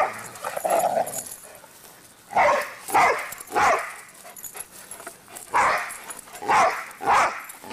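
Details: Dogs running around and barking, two pets together: loud, clipped barks repeated irregularly, often in quick pairs, with gaps of about a second, over a faint hiss.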